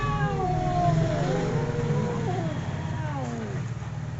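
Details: Two cats howling in a fight, long quavering moans drifting downward and overlapping, under a heavy low rumbling background.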